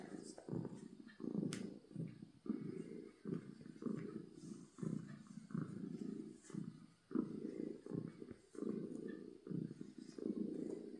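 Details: Domestic cat purring from happiness: loud, low rumbling bursts repeating roughly every second, in-and-out breathing rhythm with short pauses, close and steady, faint clicks in the background.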